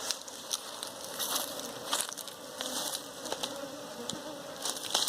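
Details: Honey bees from a wild hive being caught for keeping: a steady low hum with sharp clicks and crackles of handling throughout, and a faint background tone.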